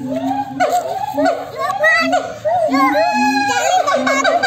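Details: Several monkeys calling back and forth to one another, a noisy and unsettling chorus: overlapping arched, wavering cries and short rising-falling notes from many voices at once, with no break in the din.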